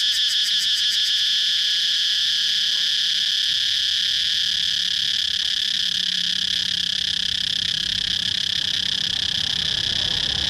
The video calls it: cicada chirping sound